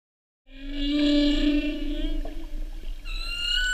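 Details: A North Pacific humpback whale sings its 2015/2016 mating-season song off Oahu in 2016. A long, rich, harmonic moan sags slightly in pitch, then abruptly switches to a higher, thinner whistled unit.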